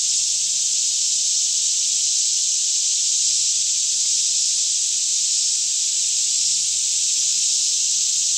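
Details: A daytime cicada chorus in lush Kentucky forest near Franklin at about 10am, air fairly calm, recorded on a Canon 5D Mk2; an unbroken high, shimmering buzz steady in loudness, with a faint low drone in the background.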